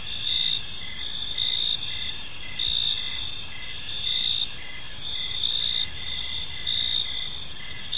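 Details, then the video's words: Peaceful park in the evening filled with cricket chirping: high continuous trills plus short chirp bursts repeating roughly every second, over quiet ambient noise. "Park Serenade: Cricket Sounds in a Peaceful Park"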